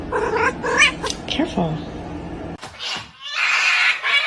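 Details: Kitten meowing: a few short, tonal meows with rich overtones crowd the first second and a half, one sliding downward, before the clip gives way to bursts of broad, hissing noise and rustling.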